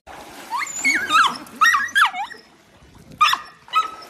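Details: Playful miniature dachshund, a pet sausage dog: a run of high, bending whines and yelps that swoop up and down, in bursts of about half a second with short pauses, closing on a steadier whine.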